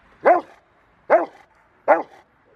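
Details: River v Schwarzerwald, a five-year-old Rottweiler in bite training ahead of a ZTP trial, January 2020. Three loud, clipped barks spaced about eight-tenths of a second apart, with near silence between them.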